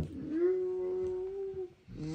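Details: Siberian Husky puppy indoors giving one sustained whining howl of about a second and a half, steady in pitch after a short rise, with a family talking affectionately around it.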